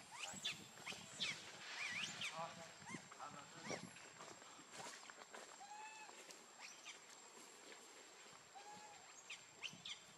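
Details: Baby monkey named Lucie, very hungry for milk, cries in high, arching squeals that rise and fall, several in quick run early on, then sparser drawn-out wails, over a busy outdoor background with other chirps.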